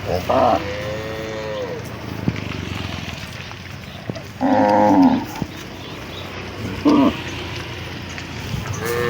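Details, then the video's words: A village cattle herd being driven home from the fields toward the barn in the afternoon; brief moos stand out in short bursts, a longer low one early on, amid constant rustling background noise. "suara mooo khas sapi desa"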